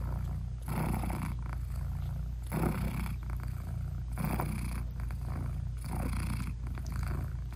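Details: Nursing British Shorthair mother cat purring over her closed-eyed newborn kittens; a deep, steady rumble with inhale and exhale phases alternating about every one to two seconds, no music or other sounds.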